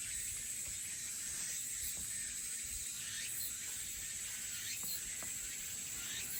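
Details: Elusive crickets and cicadas in Haenam fill the air with a steady, high-pitched buzzing and trilling chorus.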